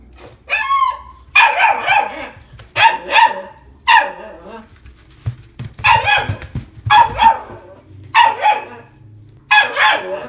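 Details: ['Female Italian Greyhound, blue and white, born 21 July 2019, at a pet shop, giving about eight sharp, high-pitched barks and yelps in quick bursts, some doubled, with short pauses between them.']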